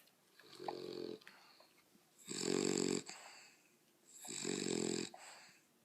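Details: Pet dogs indoors making weird noises: three drawn-out, raspy, wheezing bursts, each lasting close to a second and separated by short pauses, with a harmonic buzzy tone and a hissy upper edge.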